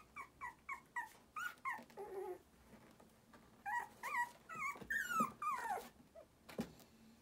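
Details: Four female Shiba Inu puppies, born 30 July 2018, give a run of short, high whimpers and yips that rise and fall.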